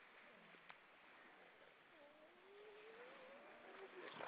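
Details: A grey seal in the Baltic Sea, Estonia, sings in the evening: a faint, drawn-out moan that slowly rises in pitch over steady background noise.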